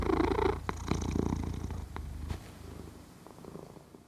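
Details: Deep rhythmic purr of a sleeping cat, picked up in stereo with a Zoom H6, loudest in the first half, then gradually fading to a soft rumble and near quiet by the end.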